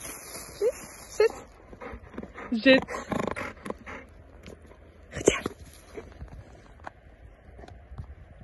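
A hungry Golden Retriever begs with short, high-pitched whines that rise and break off, repeated every second or two. A person speaks in the background between the whimpers.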